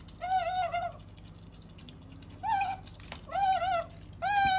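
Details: Indoors, female otter Sakura utters sustained, slightly quavering harmonic calls in four bursts, the first nearly a second long, with a faint knock between them.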